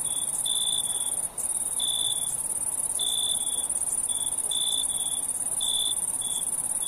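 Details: Night-time cricket chorus with bright, high chirps in short clusters and irregular gaps, set against a constant thin, high insect trill with no other sounds.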